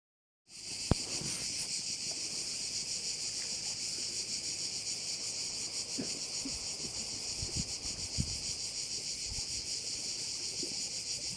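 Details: Crickets at a bay on Korčula, a dense high shrill buzzing chorus that pulses steadily about three times a second throughout, with soft low thumps and light wind rumble beneath.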